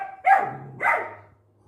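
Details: Angry puppy Max, in Guntakal, barks twice about half a second apart, each bark harsh and falling, reacting to other dogs outside the gate he wants opened; a low hum lingers afterward.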